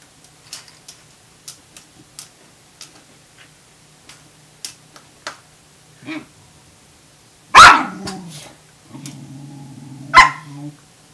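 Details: In a dominance challenge over a Norwegian Elkhound's food, Tamaskan puppy Wave is heard amid light clicking and tapping, then a single loud bark, a low growl and a second sharp bark.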